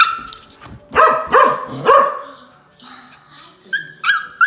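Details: A husky unimpressed while meeting a 20-week-old golden retriever puppy; three loud barks in quick succession, then quieter yips and human voices.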